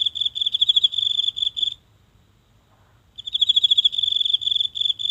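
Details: One insect calling each night in the grass of a small home garden, with a mobile phone held close; bright, high, rapidly pulsed trill, a silent gap of over a second, then the trill resumes.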